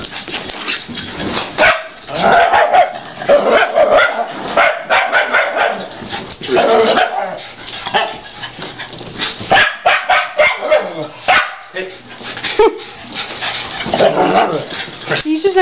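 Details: Four dogs, two shiba inus and two cairn terriers, still agitated after two hours running the tennis courts together. Bursts of yapping barks come in clusters with pauses between, while a person calmly reassures Murphy.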